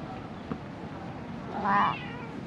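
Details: Stray cat struggling to survive amid dumped rubbish, recorded with a GoPro HERO8: a short, soft meow near the end, faint against steady background noise and a single small knock.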